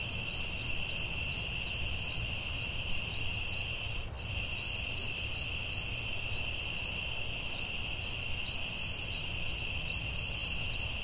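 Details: Crickets calling at night in a forest: a steady, shrill high-pitched drone underlies a brisk series of short ringing chirps, roughly two or three per second, with a brief dip in the sound near the middle.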